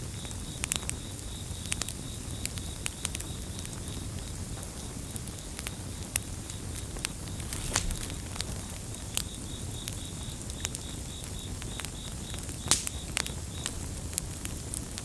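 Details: Steady high-pitched trilling of crickets, finely pulsed and continuous, set against a crackling bonfire with frequent loud pops and a dense low roar, the insect chorus fading briefly midway before returning.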